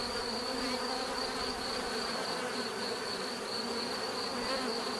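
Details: Bees buzzing in a steady, dense drone with low humming tones and a thin, constant high whine running through all five seconds; no other sounds.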